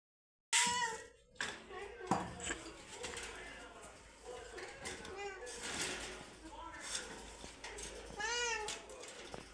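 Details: Hungry domestic cats meowing before eating, indoors: a few drawn-out, rising-then-falling meows spaced several seconds apart, with softer rustling and clatter in between and a short silence at the start.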